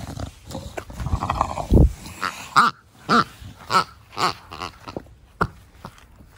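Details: Pet bulldog Da Vinci in a garden, brachycephalic breed, making snorting 'fugo fugo' breathing: a series of short, rough snorts about every half second after a louder burst near the start.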